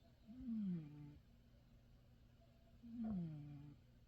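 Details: Male domestic cat snoring in deep sleep in its favourite bed: two quiet, low, drawn-out nasal snores, each sliding slightly downward, about two and a half seconds apart.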